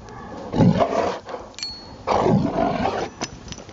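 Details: Rottweiler playing in the snow in Maryland on a Saturday afternoon, December 19, 2009; two low, rough growling bursts about a second each, separated by a short pause, with faint clicks between them.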